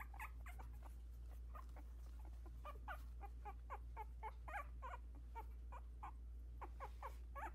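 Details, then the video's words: Havanese puppies aged 16 days, a litter of four newly walking in their whelping box, keep up a run of short bent squeaks and whines, several per second, against a constant low indoor hum. "Z’s Havanese CoCo’s Fab Four 16 days old already!"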